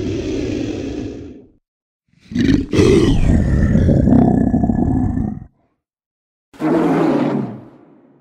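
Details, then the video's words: Lion roaring: deep, rough, growling bursts, one long roar lasting about three seconds between shorter ones, separated by silent gaps. "Sound Effects of Lions"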